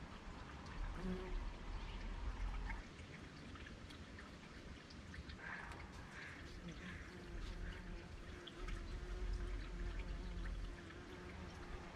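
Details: Quiet outdoor background of low rumble and soft trickling, water-like noise, with faint scattered clicks and no distinct animal call.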